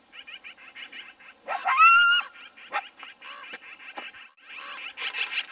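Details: Coyotes fighting over a bison carcass trade sharp yips, rasping growls and a brief high whine.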